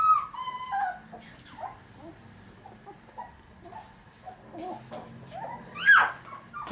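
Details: Pinscher dog whining: a high, falling, tonal whimper at the start and another rising-falling whine near the end, with quieter whimpers between, over soft background music and low hum.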